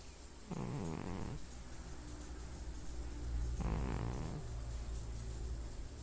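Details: House cat asleep and snoring, two long raspy breaths about three seconds apart, each a broad grating rumble, with a constant low background hum between them.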